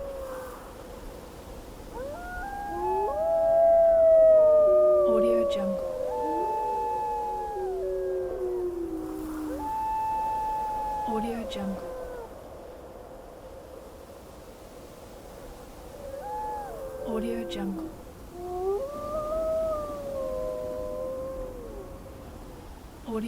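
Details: Several gray wolves howl together in windy weather, long, wavering, overlapping tones that slide up and down.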